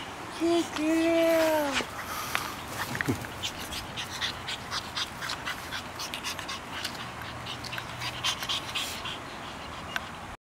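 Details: Pug named Koko, from Hawaii, a female on her first day home, gives a few thin whining whimpers with rising and falling tones in the first two seconds, then soft clicks and rustling indoors.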